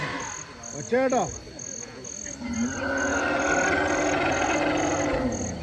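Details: An Asian elephant at Anakulam, a reserve-forest river site near Munnar, Kerala, visited by herds with calves around 6 PM, gives loud, echoing harmonic screams that arch up and fall, then a long wail, while running and chasing.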